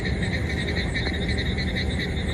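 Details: Asian common toad during breeding, producing a steady pulsed trill with bands around two and four kilohertz, continuous over the whole stretch, over a low constant hum and background rumble.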